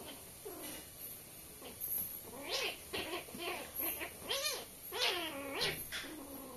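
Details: Pair of young kittens newly introduced to a family home in India, at play indoors; a run of thin, arching meows rising then falling, about one each half-second, over a soft hiss of room noise.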